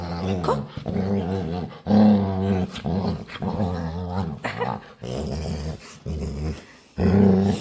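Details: Pet dog begging to play indoors, voicing drawn-out low growling moans with a harmonic, whiny edge, several long bouts separated by short breaks, with a little human speech between them.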